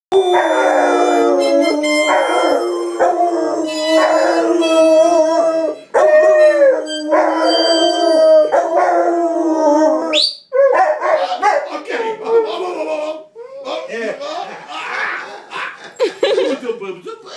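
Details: A mother and son pair of Rottweilers at an auto body shop howl together in long, wavering, mid-pitched tones that rise and fall.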